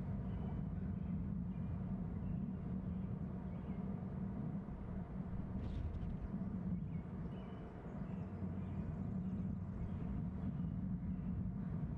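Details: Steady low rumble like passing traffic or an engine, with a faint hum and one brief knock, and no animal calls.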